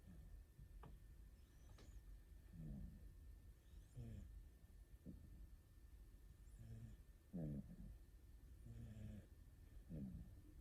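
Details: Snoring from two rescued cats, an orange tabby and a calico, asleep hugging each other: soft, low, rasping breaths with a buzzy rattle, recurring every two to three seconds in a quiet room.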